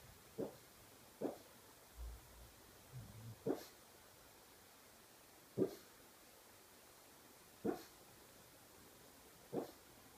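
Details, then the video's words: Pug dreaming in its sleep, giving soft, muffled woofs and yelps, about eight short bursts spread over ten seconds, with a few low grunting sounds in between. The surroundings are otherwise quiet. "Pug sonhando"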